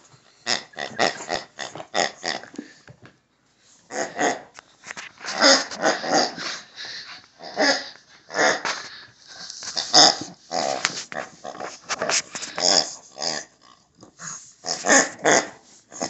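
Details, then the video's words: A Shih Tzu playing with its new favorite toy, a pig, makes bursts of rough, snorting play growls, broken by a short pause near the three-second mark, then resumes in irregular clusters, all indoors in a small room. "Olive the Shih Tzu Plays with a Pig"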